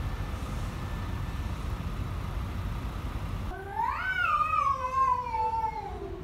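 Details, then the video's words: Two angry cats; one gives a loud drawn-out harmonic yowl that rises then slowly falls over about two and a half seconds, after several seconds of low traffic rumble. "Two angry cats"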